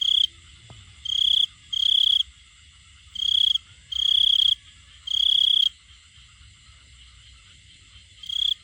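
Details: A male cricket calls to find a female, producing bright, high trilled bursts of about half a second, grouped closely in the first half and then pausing before a final burst.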